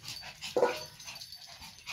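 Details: Pomeranian dog playing fetch with a new ball: a single short, sharp bark breaks out midway, strong and clipped, amid quiet rustling and faint high jingling from play.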